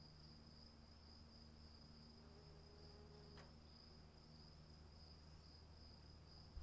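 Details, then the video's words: Steady high cricket trill in the rain, unchanging on two pitches, over soft rain rumble with one brief sharp click midway. "1 hour of cricket sounds in the rain"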